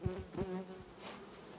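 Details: Honey bees at a beehive in August, heard as brief low droning buzz tones broken up by a few soft clicks and knocks, with quiet background hum in between.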